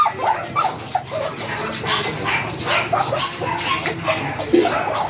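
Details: Small Pomeranian at stud during mating in Binalonan, Pangasinan: brief high whimpers and yelps scattered across the clip, heard over a constant noisy background with faint voices.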